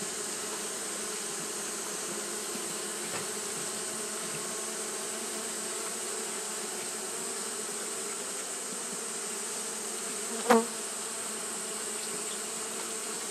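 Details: Continuous fanning drone from Japanese honey bees on a hot day, a level buzzing hum holding steady for the whole stretch, interrupted once near the end by a single sharp click or knock.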